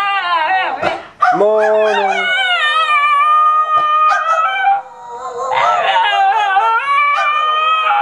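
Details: A basenji and a Miniature Australian Shepherd howling and yodelling in duet, long sustained tonal howls holding steady pitch, interrupted by brief sharp yips, with both voices layering into a continuous wavering chorus.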